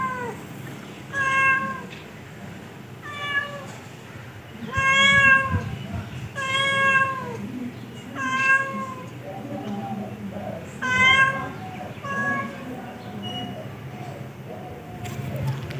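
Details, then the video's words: Series of short, downward-curving cat meows repeated at irregular intervals of one to two seconds, fairly strong and harmonic, with soft background noise and a brief low murmur late in the sequence. "cat voice"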